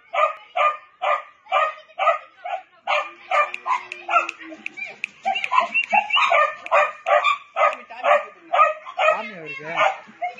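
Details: Young Labrador Retriever puppies from a Punjab kennel yipping rapidly in a steady run of sharp high barks, several overlapping, with a brief low hum in the middle and a whining, wavering note near the end.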